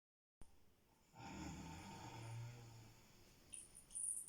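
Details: Cat snoring while asleep in a quiet indoor room; one low, rough, drawn-out snore rumbles for about two seconds, with faint clicks and rustles near the end.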